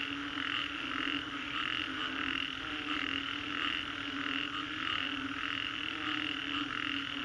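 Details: Many frogs calling after a storm along Singapore's Green Corridor, a thick wall of rhythmic croaks throbbing about twice per second over a constant low drone.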